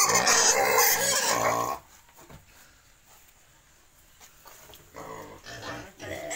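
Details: Pigs at a breeder's farm in Cambodia keeping wild and domestic pigs: a loud, harsh, noisy squealing burst for nearly two seconds, then near quiet with faint shuffling before softer squeals return near the end.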